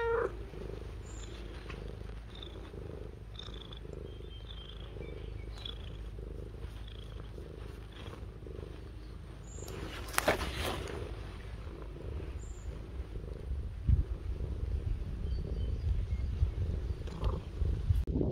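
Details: Domestic cat purring, a steady low rumble with soft rhythmic pulses repeating several times a second throughout, growing a little louder toward the end, with a brief sharp rustle or click near the middle.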